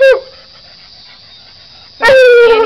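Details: Female coonhound at home giving a brief bay, then after a quiet pause a loud, sustained, level howl rich in overtones, close to the recorder indoors.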